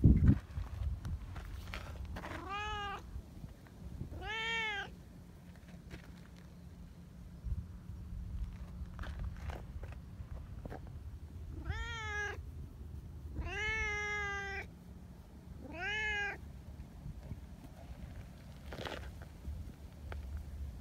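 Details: Affectionate community tabby cats that love being stroked, calling repeatedly: five bright, harmonic meows spaced a few seconds apart, some arching up then down, with low background hum and occasional rustling between calls.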